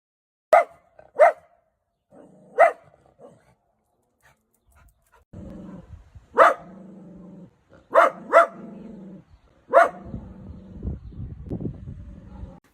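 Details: Dachshund barking indoors: sharp, loud single barks in a loose series, some in quick pairs, with lower growling grumbles between them and a quiet room otherwise.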